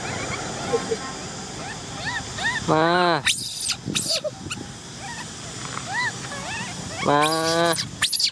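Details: Baby macaque Cola, a female orphan, crying to be allowed to ride a bike. Two loud, strained, rasping wails stand out among quieter arched whimpers, and a woman speaks Vietnamese nearby.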